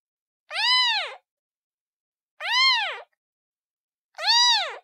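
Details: Three evenly spaced kitten meows from a domestic cat, each short, rich in overtones and arching up then down, about two seconds apart with nothing else heard.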